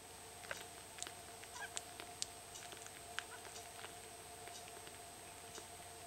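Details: Two-day-old Italian Greyhound puppies on a late night snack, feeding: faint high squeaks and soft suckling clicks scattered irregularly over a steady electrical hum.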